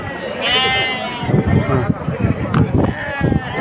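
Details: Sheep at a livestock market in Hassi Bahbah, Djelfa province, Algeria, among ewes, goats and lambs: one drawn-out, wavering bleat rising then holding steady, over loud men's voices haggling and crowd noise.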